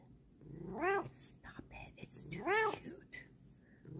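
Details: Female domestic cat making two drawn-out, rising and falling meows roughly one and a half seconds apart, while a person talks softly in the background of a small room.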